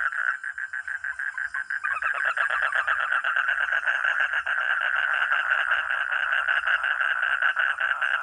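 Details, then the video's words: Frog or toad giving rattling pulsed croaks, sparse and choppy for the first two seconds, then swelling into a dense, louder run of fast repeated pulses that continues evenly to the end. "Real 🐸 sound katak atau kodok || frog or toad"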